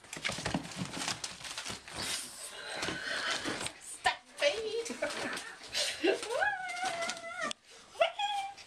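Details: English Bull Terrier puppies, five weeks old, indoors: a series of high, tonal whines and yelps in the second half, some sliding up then holding steady, others short and clipped, after a stretch of rustling and handling noise.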